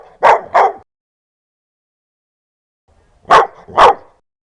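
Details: A dog barks fiercely and loudly, giving two quick double barks, each pair a rough, explosive woof. Nearly three seconds of silence separate the pairs, and nothing else is heard.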